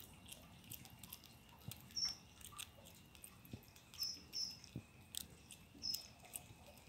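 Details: A squirrel named Frany eating pecans: faint, irregular crunchy gnawing clicks and scrapes scattered through the clip, with a few brief high thin chirps in the background over a low steady hiss.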